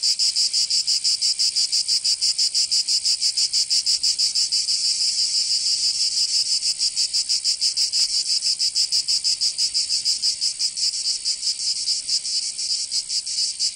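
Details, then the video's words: Cicadas of Provence, southern France, singing in summer. A bright, harsh buzz beats in fast regular pulses, around three a second, holding steady and easing slightly near the end; no other animals. "Canto Cigarra"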